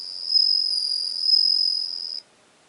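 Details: Bell cricket singing on 17 September 2021: a high, steady ringing tone lasting about two seconds with two gentle swells, then stopping abruptly into silence.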